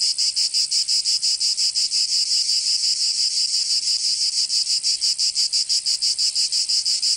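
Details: In the south of France, Provence, summer cicadas sing a piercing high-pitched buzzing, throbbing in fast even pulses roughly three per second without pause; only insects heard.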